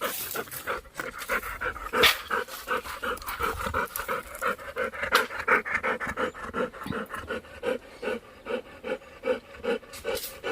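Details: A tired Labrador Retriever named Golden pants rapidly and steadily, about 167 soft breathy bursts per minute, each a short rasping puff; a human voice speaks briefly nearby.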